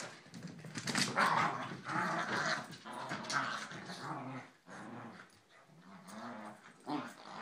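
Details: Two playful corgis grumble and snarl at each other in bursts of throaty, wavering growls during a long play fight, with short, sharper yips and snorts breaking in between the longer rumbling stretches.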